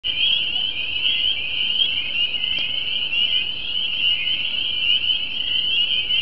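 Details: A dense chorus of spring peepers at a creek and pond in New Jersey, countless high shrill peeps merging into one continuous ringing trill.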